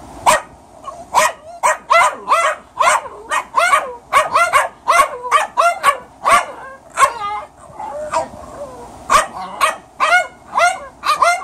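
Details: A Boston Terrier puppy barks at a senior Cairn Terrier in rapid, high-pitched yaps, some bunched into quick pairs.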